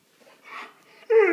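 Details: An almost two-year-old male Alaskan Malamute indoors, "talking" to his owner who asks whether he wants a treat, lets out a sudden, loud, drawn-out groaning howl after soft murmuring.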